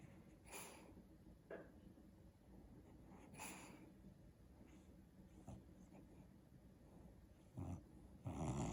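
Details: Pet dog Daisy, dreaming while sleeping on the back of a couch, makes soft puffing snore breaths spaced a few seconds apart, ending in a louder rough snort-like exhale.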